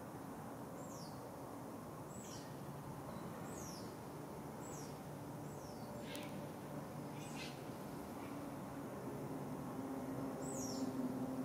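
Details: Smooth-coated otter pups with their family of two adults and a juvenile, Singapore, 6 July 2024 morning: sharp high chirps falling in pitch, repeated fairly regularly, with a low steady hum and background rumble beneath.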